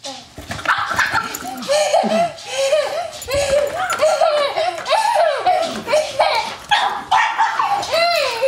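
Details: Ruby, a pet pug, battling her nemesis the vacuum cleaner indoors: rapid high-pitched yappy barks fired in quick bursts, several per second, rising and falling, with laughter and people's voices in the background.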